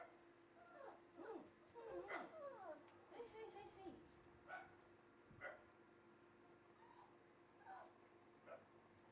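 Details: Red female Shiba Inu giving high, wavering whimpers and short yips, a cluster of rising-and-falling whines early on, then isolated brief yips spaced a second or two apart over a steady low electrical hum.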